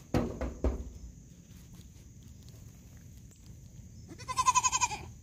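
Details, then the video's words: Young goat bleating toward a person: a few loud thumps open the recording, then a quiet stretch before one trembling, quavering bleat near the end, over a constant faint high-pitched whine. "Baby goat talking to human."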